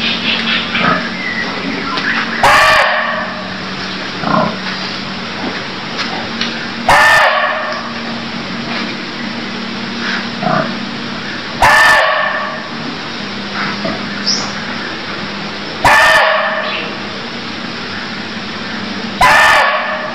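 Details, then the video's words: Barking deer calls from Cambodia: five abrupt, gruff barks spaced roughly every four to five seconds, each brief and explosive, with a faint low hum and constant hiss in between. "Cambodia Sound Deer Calls || សម្លេងសត្វឈ្លូសស្រែក"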